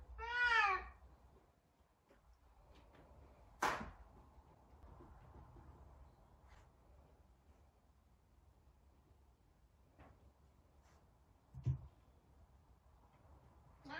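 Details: Savannah cat named Sabian, a very talkative cat, calling while trying to find another cat, Sabina: one loud harmonic meow, rising then falling, at the start, then quiet indoor room with a few knocks and clicks.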